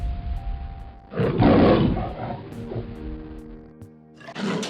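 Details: A lion roars once, a low, harsh, breathy burst of about a second and a half that tails off. Sustained background music tones run throughout, and a second rough burst starts at the end.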